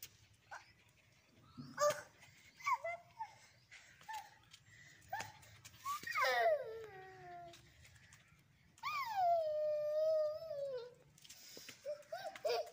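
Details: Angry dog indoors making scattered short yelps, then two drawn-out tonal whining howls that slide downward in pitch, each lasting about two seconds, with a brief high whine at the end.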